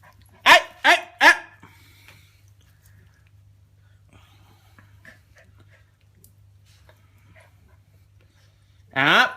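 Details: Two-month-old Jack Russell Terrier puppy named Prince playing indoors gives three quick, high-pitched yapping barks in a row. A long quiet stretch with faint rustles follows, and a person's voice calls out at the end.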